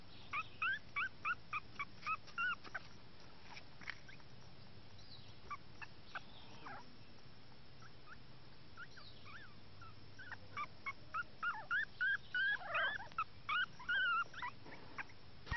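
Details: Young male mini toy Chihuahua, born 12 July, whining in rapid high-pitched squeaks and wavering cries, busy at the start and again near the end, with a quieter stretch in the middle.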